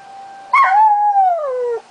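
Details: Dog howling at the monthly tornado sirens on July 1, 2009: a loud, sustained tonal howl that rises then slowly falls in pitch over more than a second, over the steady tone of the siren.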